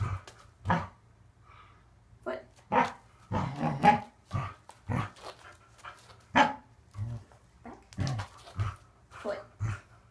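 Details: Waffle, a Corgi, barks during an unedited training session where he learns to extend his feet and does conditioning on a Fit Bone, Donut and exercise ball. Short sharp barks repeat irregularly, interleaved with the trainer's encouraging commands and praise.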